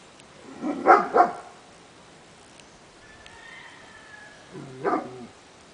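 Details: Kurdish Kangal dog, 15 months old, gives two quick deep barks just before one second, then a single bark near five seconds, with a faint steady tone and quiet background between.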